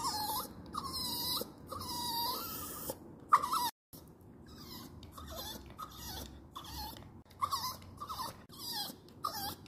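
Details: A dog's crying, sustained high whimpers with wavering pitch, first long and steady, then after a brief break a series of shorter broken whines and breathy sniffs.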